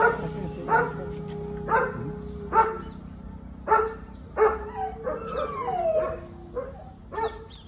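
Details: American Akita in Gurgaon, called dangerous, gives a steady series of short deep barks roughly every second, later mixed with higher whining yelps that slide downward, over a low constant hum.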